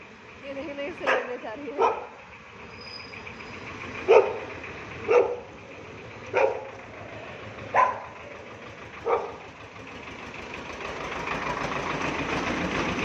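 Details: Barking from Bella, a Shih Tzu, playing with a street dog outdoors: seven sharp, short barks spaced irregularly about one to two seconds apart, over a steady background of traffic that grows louder toward the end.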